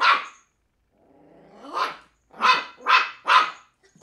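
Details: Three-month-old female Cairn Terrier pup Willow taking on an empty bottle: one sharp yap, a rising drawn-out growly bark, then three rapid high barks in a row about half a second apart.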